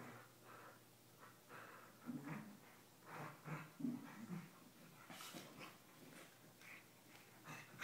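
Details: A pair of corgis at play indoors, nuzzling and kissing; short low grumbling growls and huffy breaths repeat irregularly, with wet snuffling sounds and a sharper snort near the end.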